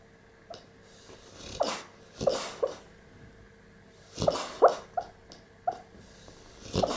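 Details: Staffordshire Bull Terrier Gorman, 16 months old, whimpering while dreaming asleep: short muffled yips and soft whines in small clusters, mixed with breathy snorts, quiet pauses between bursts.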